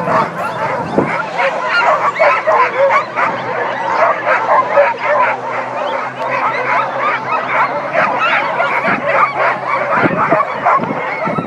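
A pack of sled dogs howls together, long wavering cries mixed with excited yips and barks.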